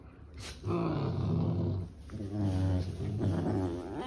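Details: Sibling puppies at play, one giving low, rough growls in two sustained bouts of about a second and a half each, split by a short pause, with a quick high scrape just before the first.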